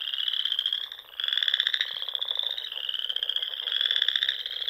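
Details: Nebraska Sandhills frogs on a spring evening by a small pond: steady high-pitched trilling chorus with a brief dip, then louder buzzy pulsed calls returning twice over a few seconds.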